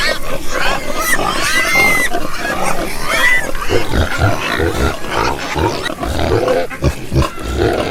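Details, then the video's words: Domestic pigs grunting: dense, rough low snorts and grunts come in quick overlapping bursts, with a few higher squealing cries rising through the first seconds, continuous throughout. "porco roncando"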